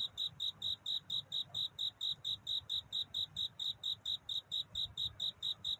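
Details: Night courtship song of a cricket: clear, high-pitched chirps repeated in a fast, very regular rhythm, several each second, against a quiet background.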